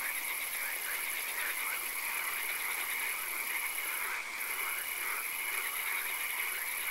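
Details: Swamp frogs at night keep up a thick chorus of repeated croaks and trills, while a continuous high hiss drops out briefly in the middle.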